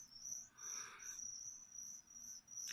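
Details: High, ringing cricket trill from feeder insects given to a pet leopard gecko, pulsed and nearly unbroken, with a burst of rustling early on and a click at the end.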